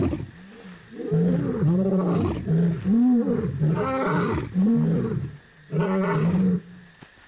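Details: Lions in Kenya's Masai Mara, including two powerful males holding a neighbouring territory, give a sequence of deep, moaning night roars that carry many kilometres, warning outsiders away and proclaiming territory.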